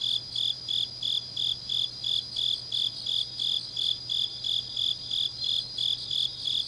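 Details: Deep-night autumn grass insects in Changnyeong, South Gyeongsang, produce rounded, pulsing high chirps at roughly two per second, steady and regular, backed by a continuous thin trill and a faint low hum.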